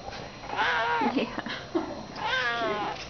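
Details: Talkative neutered male domestic cat, loving and vocal: two drawn-out meows, each rising then falling in pitch, with softer chirps between them, indoors with a faint background hiss.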